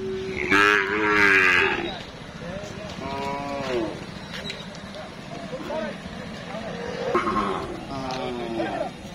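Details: Cattle for Qurbani sale at the weekly Tuesday Amraid cattle market, Kapasia, Gazipur; several loud drawn-out moos, rich in harmonics, come at intervals of a few seconds over constant talk of buyers and sellers.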